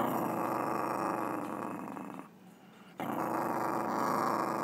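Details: Weird noise from a Chihuahua: a continuous grating, snoring-like growl that drops away for under a second midway, then resumes just as rough and steady.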